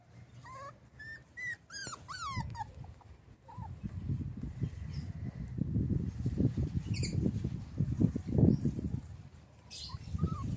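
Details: Miniature wire-haired dachshund (Canis familiaris), whines and yelps.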